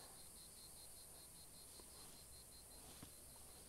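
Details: Cicadas, just starting to emerge at a hot, dry seaside spot near beehives, sing a thin, high buzzing song that pulses in rapid, even beats against a soft outdoor hiss.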